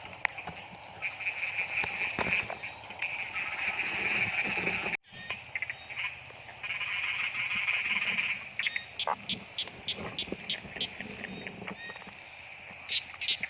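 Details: Narrow-mouthed frogs during heavy rain, sought in a seasonal torch-lit frog hunt: drawn-out buzzing trills in long bursts, plus scattered clicks and short taps, with a brief sudden cutout midway.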